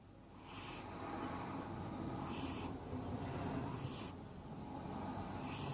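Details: A domestic cat named Wodda dozes indoors, stretched between a sunny bed and a cool desk. It gives a cute snuffle snore: breathy, hissing wheezes roughly every one and a half seconds over a steady low rumble.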